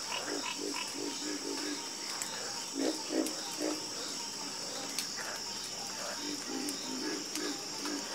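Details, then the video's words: Harmonious frog chorus, with strings of low, rattling croaks repeated rapidly, several louder nearby callers standing out, and a steady high insect whine behind. "Calming Sound Of Harmonious Frog Croaking"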